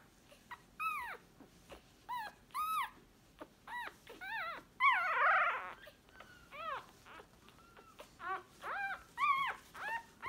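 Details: Newborn Staffordshire Bull Terrier puppies crying in loud, arched, whining squeals, several a second, rich in harmonics, with a short rough squall near the middle and steady repeated whimpers to the end.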